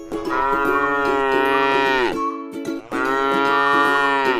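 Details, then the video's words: Tame cattle resting in a rice field: a sustained, even moo lasting about two seconds, a brief pause, then a second long moo, with plucked string music running underneath. "suara sapi lucu jinak yang sedang istirahat di sebuah ladang sawah yang indah"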